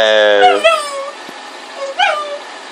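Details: Boston Terrier and Pug mix dog, known as a Bug, gives a drawn-out whine that slides down in pitch, then, after a pause, a shorter rising-and-falling whimper, with a person's voice heard nearby.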